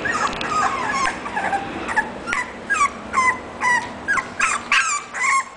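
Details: English bulldog named Sokko, offered for sale by a breeder: high, whining whimpers that bend up and down, given in short bursts roughly twice a second, growing more separate and insistent toward the end, over a faint steady hum.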